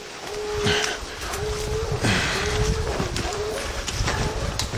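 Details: Young hound Lillie barking treed during an evening outing near tall pines: four long, flat, hollow bawls heard over heavy crunching footsteps and low rumbling as someone walks in.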